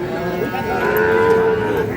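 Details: Sahiwal-type bull calves at the Ambari cattle market in Parbatipur, Dinajpur, Bangladesh, held Fridays and Mondays, recorded 9 February 2026; one drawn-out, steady, mid-pitched moo lasting about a second, with market bustle and faint voices around it.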